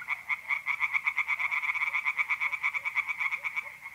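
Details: Rapid, rasping pulse trains from singing tree frogs in a pond, mid-April night, north-eastern Italy, packed closely with a loud, steady beat. Soft lower croaks sound faintly behind.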